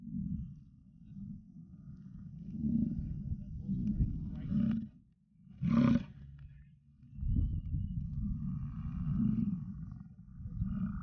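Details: American bison bulls in rut, wild at Yellowstone: deep, rumbling bellows rolling on for several seconds, broken by a short break and a sharp louder burst, then another long low roar.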